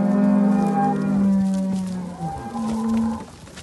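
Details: Simbra cows with their calves, part of a herd of seventy cows with seventy calves: two long, steady, low moos with drawn-out harmonic tone, the second starting after a short pause, and faint background noise.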